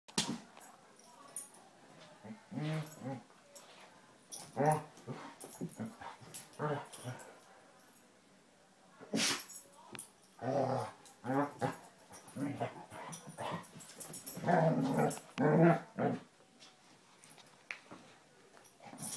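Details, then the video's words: Two Basset Hounds, Tracker and the new puppy Ranger, rough housing in play: bursts of low, harmonic barks and growly yelps come in irregular clusters between quieter gaps, with a human voice possibly mixed in. "Basset Hounds playing"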